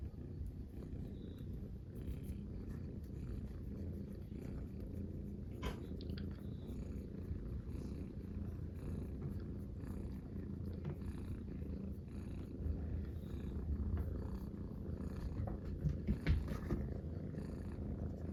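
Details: Three friendly Munchkin kittens relaxing together, a purring trio: continuous low rumbling purr with rhythmic pulsing, occasional soft rustling and small higher-pitched clicks over the drone.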